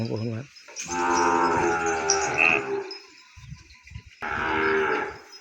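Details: Separated from its mother and held away in the pen, a calf bawls for her in two sustained, loud moos, the first lasting about two seconds, with a short quiet gap between them.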